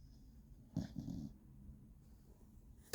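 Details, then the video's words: Beagle named Gina snoring indoors: a single short, rough, low snore lasting about half a second, then quiet breathing. "Бигль Джина храпит"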